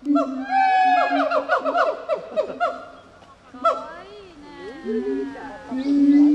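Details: Overlapping gibbon voices: a steady low hoot under busy, rising and falling whoops, then wavering glides and a long sustained tone at the close.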